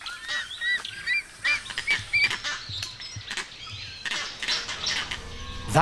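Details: Vervet monkeys giving their eagle alarm call, a warning that sends the group into thick protective vegetation to hide until the danger passes; short, harsh, honking barks come in quick irregular bursts, with thinner whistled notes mixed among them.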